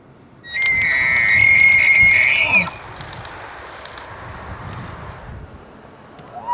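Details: Elk bull of the early rutting season, Canada's Rockies, giving a loud, high sustained whistle that holds steady for about two seconds and cuts off, followed by quieter background rustle and a faint rising note at the very end.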